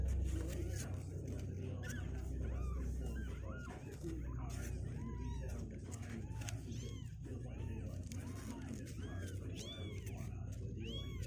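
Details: Two-week-old kittens, legs growing stronger and refusing to stay in their box, give many short high arched mews in quick overlapping succession, over human speech and a steady low hum.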